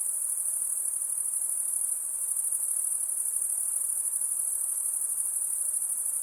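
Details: Night-time crickets trilling together in a continuous high, thin shimmer, evenly sustained for the whole stretch over a soft background hiss.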